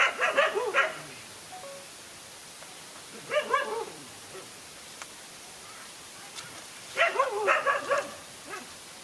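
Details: Dogs fighting, one against two males: three short bursts of rapid barks and yelps spaced a few seconds apart, with quieter stretches of background hiss between them.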